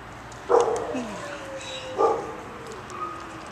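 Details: Dog giving two sharp barks about one and a half seconds apart, with a person talking softly to it in between.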